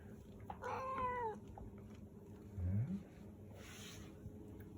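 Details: A Persian cat lets out one short, bright meow near the start that rises slightly and then falls. A low muffled thump and a brief soft rustle follow, over quiet background hum.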